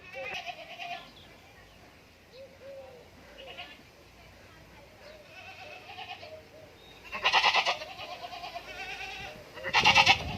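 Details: Farm goats in Indore, with soft, wavering bleats early on, then two loud, harsh, buzzy bleats near the end, about two and a half seconds apart.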